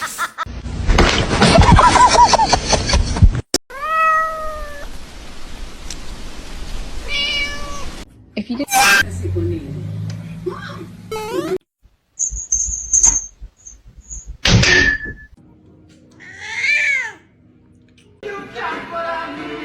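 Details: Domestic cat meowing in a funny compilation: short arched meows that rise and fall, rich in harmonics, heard between cuts with human speech, a burst of music and other household noises.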